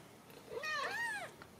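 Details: Young Ragdoll kittens in a home cattery in central Kansas: overlapping high meows, one arching over another in a single plaintive cry lasting about half a second.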